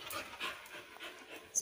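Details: Female Labrador puppy during obedience training, panting softly: short breathy hisses repeated about every third of a second, with a trainer giving spoken commands close by.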